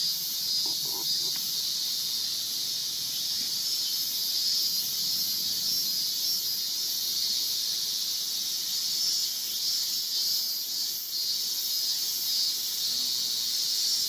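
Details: Male Yabukiri katydid perched on a guardrail in Iwanuma, Miyagi, Japan, on 20 August 2021; a steady, high, hissing buzz runs without a break throughout, with only faint low rustles beneath.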